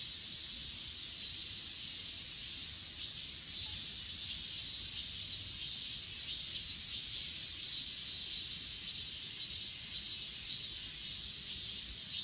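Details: Chorus of grass insects at Achasan, captured on an S20 Ultra. A continuous high trill carries rhythmic beats roughly every half second, growing slightly more distinct toward the end.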